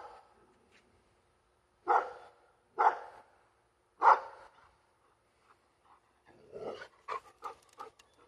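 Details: Labrador Retriever, female, barks at passing planes: three loud, evenly spaced barks about a second apart, then a softer, rapid string of shorter barks and yips.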